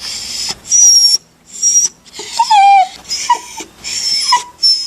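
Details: Dog whimpering in a collection of crying dog sounds: breathy hissing puffs mixed with thin high whistles and short nasal whines that bend downward, in uneven bursts.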